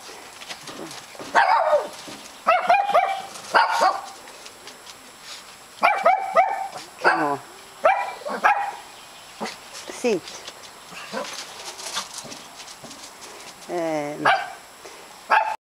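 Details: Shih Tzu playing outdoors, giving bursts of short sharp barks and higher yips, some in quick runs of three or four, separated by pauses, with a person's voice speaking now and then.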